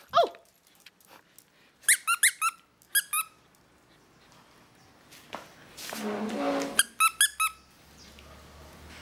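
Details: Pet wire-haired fox terrier waiting for his toy, voicing sharp, high squeaky whines in quick clusters of falling notes, three bursts separated by quiet gaps, with a brief rustling noise in between.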